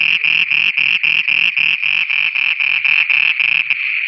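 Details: Night chorus of frogs in Pakistan, a fast train of rasping pulses about four a second layered on a continuous shrill hum; the pulses weaken and break off near the end.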